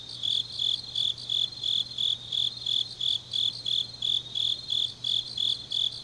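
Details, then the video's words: Night chorus of autumn grass insects from Changnyeong, South Gyeongsang Province, Korea: clear high chirps in a regular beat, roughly three each second, over a faint steady low drone. "깊은밤 가을 풀벌레 소리"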